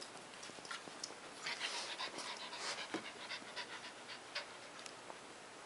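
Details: A Border Collie named Leroy pants quickly and breathily indoors, a rapid airy rhythm of soft bursts with faint whimpers, while a person scolds him for peeing on the floor and tells him to lie down.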